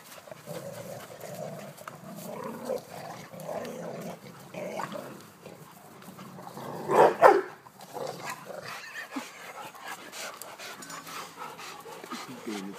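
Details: Playful tug of war between pet dogs Elly and Bandit, Major looking on from Bandit's side; steady throaty growling for several seconds, a burst of loud sharp barks midway, then softer growls and scuffling.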